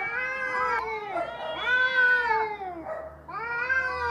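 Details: Noisy cat fight, with loud overlapping caterwauls that swell and bend in pitch, one wail sliding into the next with barely a break, harsh and strained in tone.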